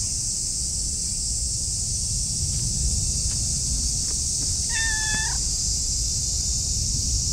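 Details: A clingy, affectionate orange tabby stray cat rubbing against someone's legs gives one short, high, clear meow against a steady background hiss.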